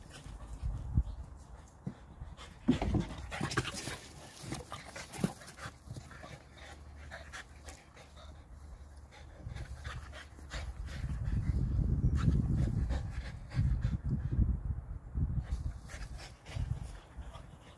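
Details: French bulldog pups, growing up, play with an older dog, giving rapid, low, rumbling pants and snorty grunts that swell into a louder growly stretch midway, with scuffling throughout.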